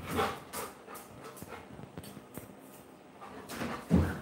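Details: Pet Labrador Retriever called Coco panting indoors: rapid breathy bursts repeating roughly every half second, louder at the start and end, over a low background hum.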